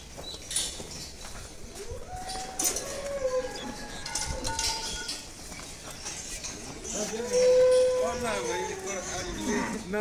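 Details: Cattle at a Bangladeshi market, heavy bulls such as Sahiwal, Pakra and local breeds gathered ahead of Eid al-Adha 2026; a long mooing call rises then holds steady twice, over crowd chatter and background noise.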